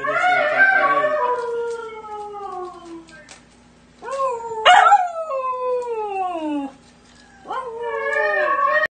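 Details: Siberian husky puppy howls in drawn-out descending wails, about every three seconds, each sliding from a higher tone down to a lower one, with a brief yip in the middle.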